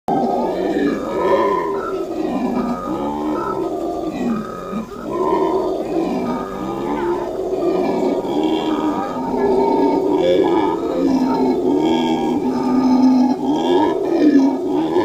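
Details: A black howler monkey at the National Zoo gives a deep, rasping, continuous roaring howl that swells and rolls on.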